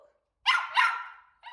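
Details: Cavapoo dog barking in frustration about her ball being out of reach; a doubled, high, yappy bark trailing into a brief whine.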